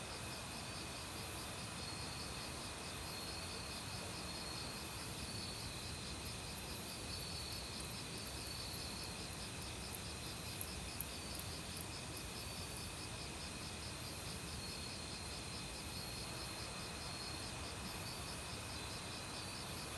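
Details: Crickets calling in an autumn forest, mixed with other insects. Rapid pulsed trills and a constant high whine carry over rushing stream water, and a brief burst of sharp ticking clicks comes midway.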